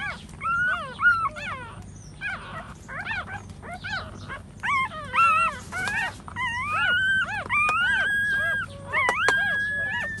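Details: Puppies nursing from their standing mother give a busy stream of high, wavering squeals and whines, some rising and falling, others held longer, overlapping nearly nonstop.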